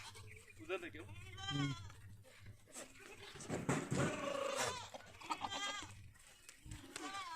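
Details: Several goats at a farm in a village near Pushkar, Ajmer, Rajasthan, India, bleat in short wavering cries among overlapping human voices and farmyard clatter.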